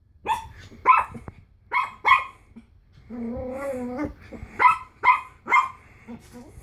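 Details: Frightened Pomeranian puppy reacting to a Slinky: loud, sharp barks in quick pairs and triplets. In the middle comes about a second of tense, whining growl, then more rapid barking.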